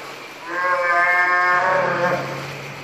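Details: Bull northern fur seal in the Pacific giving one drawn-out, bleating harmonic call of about one and a half seconds that swells and fades, over a steady low hum of background noise.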